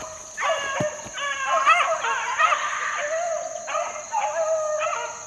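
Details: Four-month-old Beagle pups run in the wild in 2013, giving clear, wavering bays and yips in repeated bursts. The voices climb and fall, and a faint constant high whine sits behind them.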